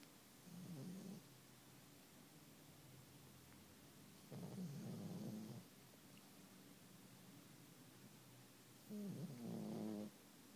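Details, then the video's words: A pug napping, snoring in three low, rumbling bursts about four seconds apart, each breath rough and buzzy with a slight pitch wobble, quiet room between snores. "Snoring spike"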